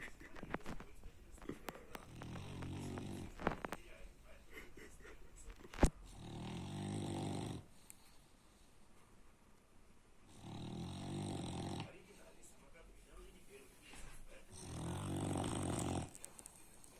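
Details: Baks, a French Bulldog, snoring very loudly: deep, rasping breaths of about two seconds each, repeating every four to five seconds, with quieter wheezy gaps between and a few clicks early on.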